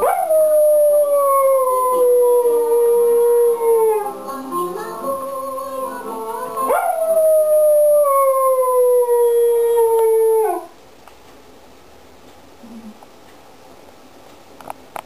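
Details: An English Cocker Spaniel gives two long, wavering howls that slide slowly downward in pitch, "singing" along to one particular Chinese song, the only song he reacts to.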